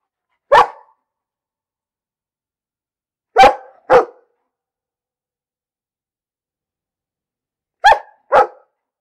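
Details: Isolated short, sharp dog barks, single or in pairs, spaced several seconds apart against a silent background.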